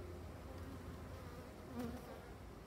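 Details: Colony of European dark bees (black honey bees) during a hive inspection on 8 April 2022, after a cold week in early April. A faint, steady, low buzzing hum from many bees, continuous throughout with no other clear sounds.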